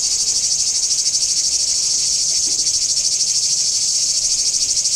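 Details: Singing cicada chorus recorded in Kardamyli, Greece, in 2013: a loud, continuous high buzzing pulsing steadily about three times per second, with no other clear sounds.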